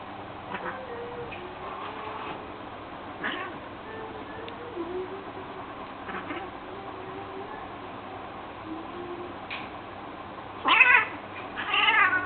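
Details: Two domestic cats having a go at each other, drawn-out low wavering growls and yowls throughout, ending in sharper, louder yowling bursts.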